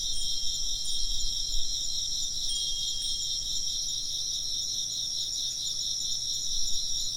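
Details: Chirping insects in a steady high-pitched chorus of pulsing trills, with a few clear wind chime tones ringing out near the start and a low rumbling hum underneath.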